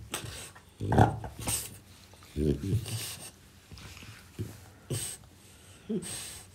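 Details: French Bulldog snacking on persimmon after its walk, with several short, throaty snorts and grunts, one loud burst near one second and a rough rumbling run around two and a half seconds, separated by quiet pauses and faint chewing.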